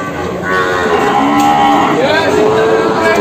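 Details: Jumbo Peranakan Ongole cattle at the Kliwon cattle market in Kebumen in the morning; a drawn-out, wavering moo slides up and down in pitch over a steady murmur of market crowd noise.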